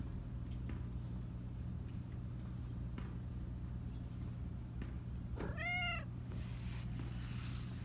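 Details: Black Persian cat, chatty and high-voiced, lets out a single arched, rising-then-falling meow near the end after a long quiet stretch, followed by a burst of rustling over steady low background hum.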